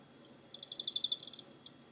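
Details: Cricket on 24 November 2016 producing a single trill of rapid high pulses lasting under a second, swelling then tapering, with one more isolated pulse after a short gap; quiet room-like background.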